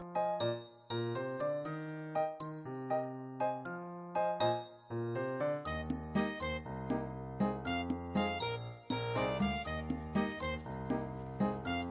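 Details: Tinkling, music-box-like children's tune with chiming bell notes and a bass line, with no animal sounds.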